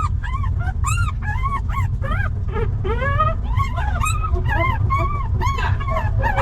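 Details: Young puppies of a stray mother dog living in a rough place, picked up by a person: rapid high arched whimpers and yelps repeated several times a second, with a low steady rumble underneath.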